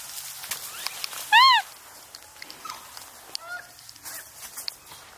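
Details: Wild Japanese macaques at Awaji Island Monkey Center, Sumoto, Hyogo, Japan, a free-ranging troop of about 350 with a baby, appearing just before 3 pm; one loud, clear, arched tonal call with rich harmonics, then fainter short calls and rustling.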